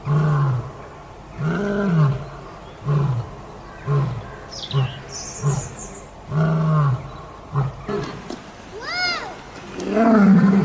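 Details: A lion (Panthera leo) gives deep, throaty roars and grunts in an uneven series of short bursts.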